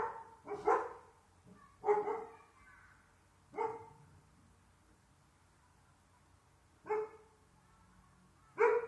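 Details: Excited Dalmatians, mother and daughter, greet the father's car pulling up at the house. Single sharp barks and yelps ring out a few seconds apart over a quiet background.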